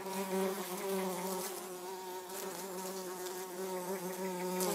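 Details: Orange-belted hoverfly (Xylota segnis) giving a steady, low, droning buzz with strong overtones that continues unbroken for the whole stretch, swelling slightly at the start and end.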